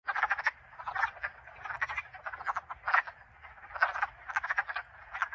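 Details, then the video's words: Wood frogs in a vernal pool in Connecticut give rapid, clucking croaks in an overlapping chorus, like ducks quacking softly. "Wood Frogs"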